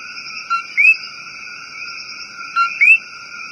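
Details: Rainforest coqui calling twice, each call a brief flat note followed by an upward-sweeping whistle, set against a constant shrill background chorus of frogs and insects.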